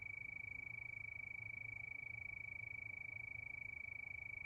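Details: Crickets under the night moon, a brief stretch of one high, even tone pulsing quickly and regularly, about three beats a second, over a quiet low hum.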